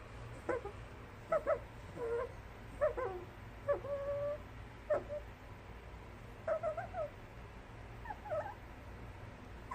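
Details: Fox giving a loose series of short, faint yelping barks, some single and some in quick pairs, spread over about ten seconds, with one drawn-out whine near the middle, over a steady low background hiss.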